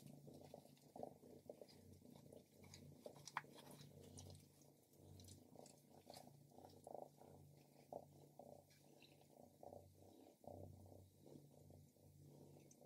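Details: Purring from Stripes, a female house cat eating grilled lamb, recorded up close. A continuous deep hum holds steady for the whole stretch, with soft rhythmic chewing and sharp smacking clicks on top.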